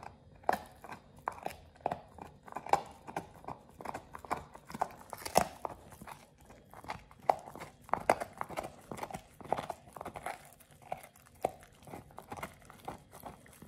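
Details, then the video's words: A Pit Bull named Oliang works through a raw ostrich paw, a first for him. Steady, rhythmic crunching and biting clicks repeat about every half second throughout. "Oliang the Pit Bull 1st time eats Raw Ostrich PAW [ASMR] BARF | MUKBANG 動物の咀嚼音"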